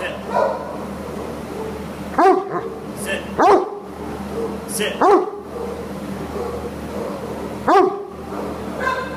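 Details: Great Dane up for adoption at a shelter; four sharp harmonic barks spaced a second or more apart, with people talking and room noise in between.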